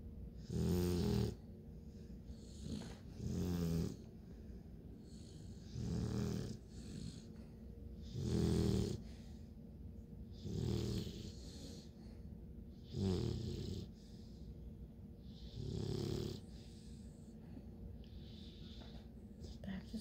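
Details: Bluetick Coonhound puppies, nine weeks old, asleep, after a sleep chase with paws moving and half barking; loud low snores rumble roughly every two to three seconds in a steady breathing rhythm, quiet between.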